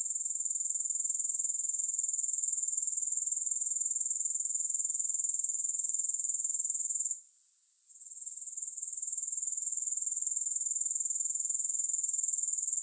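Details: A continuous shrill insect trill from grasshoppers, rapidly pulsing around four beats per second. A short hush comes near seven seconds before the buzzing swells back. No music or other sounds.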